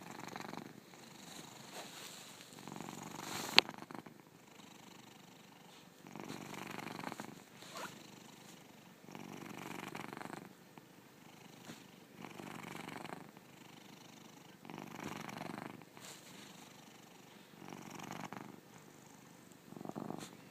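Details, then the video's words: Bubberz, also called Frigger, a very fat pet cat about 11 to 12 years old, snoring while asleep: soft rasping breaths swelling and fading every two to three seconds, one sharp click early on. "Snoring Cat"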